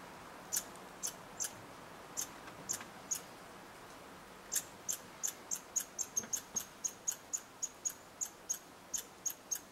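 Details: Red squirrels interacting at a bird hide in Eastern Canada give thin, high-pitched squeaks, a few scattered notes at first, then a fast run of about twenty quick chips repeated several times a second.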